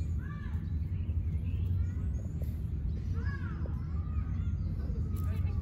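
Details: Stray kitten on an Istanbul street in Turkey, asking for affection with cute meows: two clear arched, falling mews near the start and middle, with fainter ones later, over a steady low hum of city traffic.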